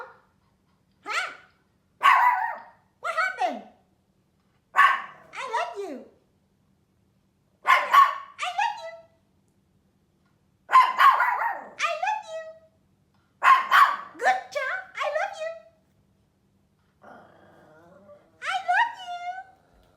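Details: Small Pomeranian, said to be scared of loud noises like thunder or firecrackers, reacting with high, yappy barks in short clusters, each burst rising then falling, about a dozen outbursts spread irregularly with quiet gaps between, in a small quiet room.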